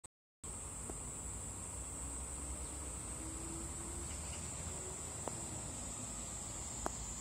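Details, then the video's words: Cicada calling from a cherry tree: one steady, high-pitched continuous whine holds unbroken for the whole stretch, over a low background rumble with a couple of faint clicks. "매미 (벚나무의 매미) 매미과 Cicada"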